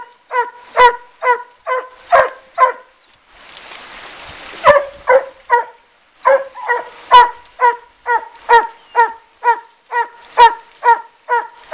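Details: Suzy and Sandy, two coon hounds treeing a raccoon in a den tree beside a river in Taylor County, Kentucky, bark in short clipped bursts about twice a second. A brief rush of broadband noise interrupts the barks midway.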